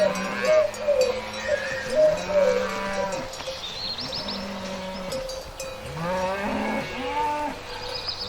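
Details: Several cattle in a field outdoors on a farm moo in low, drawn-out calls that swoop up and down, overlapping one another.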